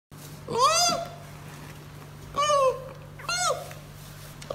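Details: Baby giant panda giving three bleating squeals, each arching up then sliding down, spaced about a second apart with a pause before the second, over a steady low electrical hum.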